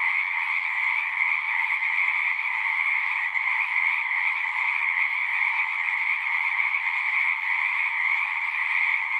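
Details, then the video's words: Singing frogs forming a continuous chorus: overlapping trills blend into an even, unchanging drone of high and mid-pitched croaking, sustained throughout without breaks, no birds or people audible. "One hour of singing frogs."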